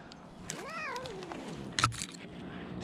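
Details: Rescued cat voicing a short meow that rises then slides downward, followed by a sharp clatter, in a quiet indoor setting.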